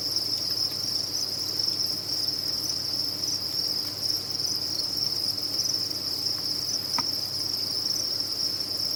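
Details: A chorus of captive crickets at a cricket farm rings out as a continuous high chirping trill, with a brief soft tap heard near the end.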